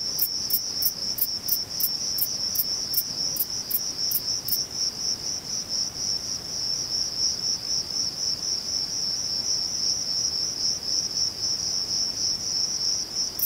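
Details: Singing male Thyreonotus corsicus bush-cricket at Vilella (Sueca): quick, regular high ticking chirps for the first four seconds, then only an unbroken shrill high-pitched buzz continues.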